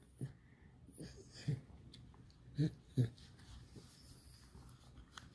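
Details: Alice, a domestic pet fox, playing mischievously inside a small room: short low grunting huffs in separate bursts, four clear ones spaced roughly a second apart, over faint indoor background.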